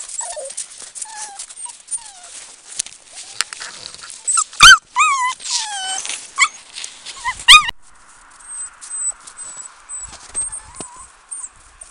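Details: Seven-week-old Samoyed puppies, a litter of two boys and three girls, letting out loud high yips with harmonics around the fourth and seventh seconds, between softer whimpers, then thin squeaks over a steady hum.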